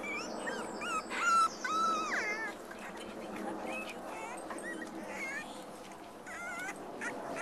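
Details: Black and black-and-white Cocker Spaniel puppies at play with littermates and their mum, uttering repeated thin, wavering squeaks and whines, some louder near the start, scattered through the recording.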